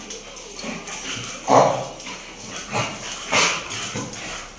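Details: Female American Bully dog in Muzaffarnagar barking: two loud, sharp barks about two seconds apart, the first near mid-clip and the second later, with softer yelps and scattered background sounds between them.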